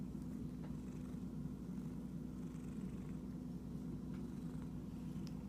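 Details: Domestic cat described as itchy, giving a continuous low, even purr with a faint pulsing rumble and a few soft clicks over the top.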